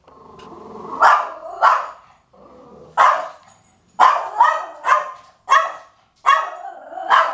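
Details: Pet dog giving loud, abrupt barks, singly and in quick runs, after a low rumbling growl-like start; around ten barks with short silent gaps between groups.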